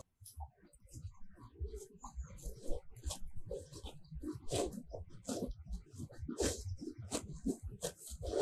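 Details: Grazing cattle in a meadow on a sunny day, recorded up close as they tear grass with their tongues, irregular crisp ripping strokes growing louder toward the end, low chewing underneath.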